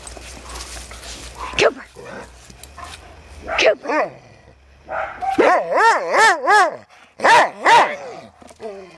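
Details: A boxer mix dog gives a run of wavering, yodeling howls mixed with short barks, starting up outdoors while a dachshund and a pit bull mix play rough nearby.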